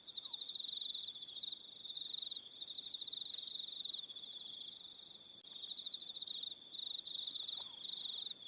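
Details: On Aroha Island, New Zealand, crickets sing at evening in bursts of fast, shrill pulses, several overlapping voices at slightly different pitches, with brief lulls between phrases.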